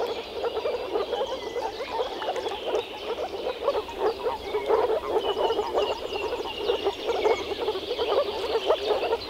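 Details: In early spring, male moor frogs gathered in a small forest pond to mate croak via vocal sacs; a thick, continuous chorus of low, bubbling notes, with distant bird twitters faintly above.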